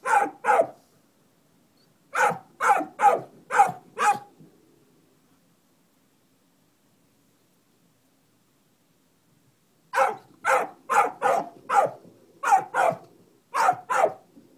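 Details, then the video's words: A dog that found a baby buzzard under a barn in late September barks in two bursts: five or six sharp, mid-pitched barks, a pause, then about nine more in fast succession. "Dog barking at a bird"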